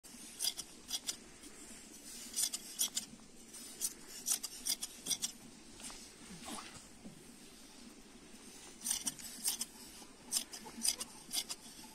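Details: Sharp snipping of shears during sheep shearing, repeated in quick bursts over a soft background hum, with no animal calls.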